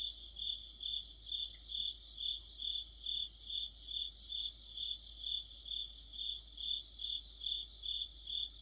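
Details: Deep-autumn night chorus of crickets with other insects, a rhythmic high ringing note pulsing steadily while denser, higher trilled chirps rise and fall across the whole stretch.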